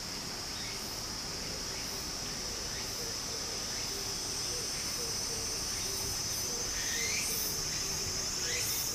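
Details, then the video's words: Cicadas singing in summer beside a flowing stream in Japan: a steady high, shrill drone with brief bursts rising over it, above a constant broad rush of running water, with faint chirps scattered in the background. "小川の流れと蝉の声 自然音 ～夏～ Japan Sound of nature Cicada's voice"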